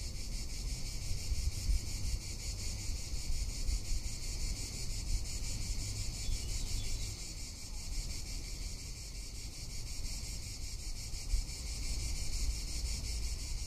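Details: Tuscan summer cicada giving an unbroken, high, rasping buzz with a fast regular throb, steady from start to finish, backed by low wind noise buffeting the microphone.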